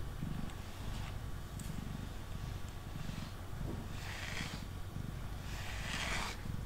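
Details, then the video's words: Mango, a male pet cat sitting on a table, purring while being brushed; steady low rumbling pulses run throughout, broken by soft swishing brush strokes at about four and six seconds. "Cat Purring & Brushing Sounds"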